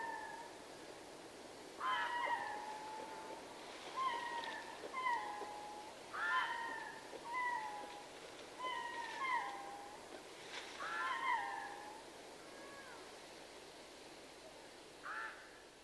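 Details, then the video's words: Ring-tailed lemurs of a troop in Berenty, southern Madagascar, calling in chorus: a series of short, meowing wails with sharp onsets and sliding pitch, arriving in clusters every one to two seconds, then fading out. "Ring Tailed Lemur / MCU Chorus From A Troop"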